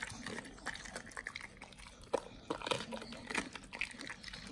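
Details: Close-up of Nomyen, a Pit Bull eating raw quail meat: wet gnawing and crunching bites, punctuated by a few sharp cracks, with soft smacking sounds between them.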